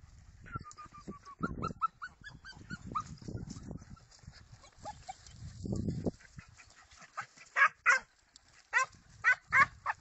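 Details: Segugio Italiano hound letting out a falling whine and rapid yips, then strong, evenly spaced barking near the end, over low rumbling movement noise.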